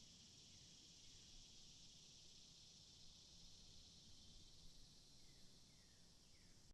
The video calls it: cicadas Free Sound Effect